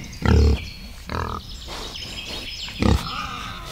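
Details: Three deep, rough grunts from a wild boar in a forest, spaced about a second apart, the first and last loudest, with steady faint background noise.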